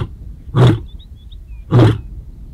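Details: Casper, a white male lion of the ageing Shishangaan coalition, roars back at the rival Mayambula coalition in the Sweni area southwest of Satara. Two loud, deep grunting bursts come about a second apart, with faint birdsong between them.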